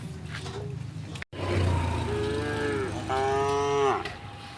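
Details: Tame cows on their afternoon walk home to the pen through the village; a low moo rises into a long, bright, level moo, over steady background rumble with a brief dropout.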